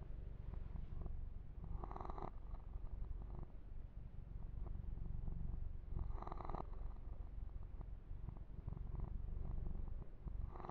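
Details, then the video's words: Low, even purring from the kitten Yumak during a massage with fur grooming, captured ear to ear; the rumble is unbroken, and two short scratchy bursts of hand-on-fur rubbing stand out about four seconds apart. "Kitten Massage - Perfect Sleep Helper Ear to Ear Purring"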